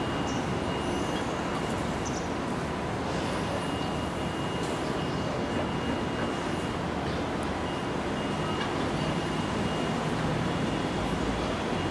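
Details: Steady, rumbling mechanical noise like a passing train or heavy traffic, with a faint thin hum and no clear animal voice.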